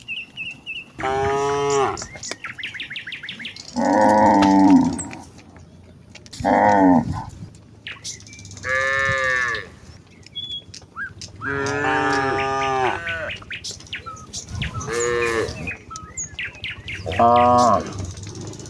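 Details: Village cows in a herd walking towards the fields in the morning, calling out to each other: a series of loud, drawn-out harmonic moos about a second long, spaced irregularly, with faint bird chirps in the background.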